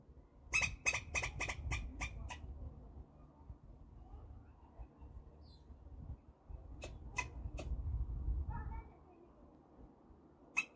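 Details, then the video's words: Squirrel chattering: a fast run of about eight sharp, dry chucks, then a pause with low rumbling noise, then three more spaced chucks and a final single one. "sincabın güzel sesi"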